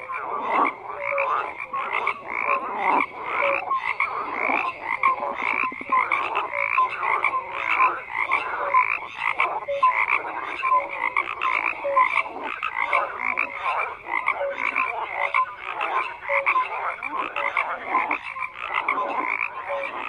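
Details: Many frogs croaking at once in a continuous chorus; short repeated croaks and clipped notes recur about every half second over a dense, unbroken background of pulsing calls.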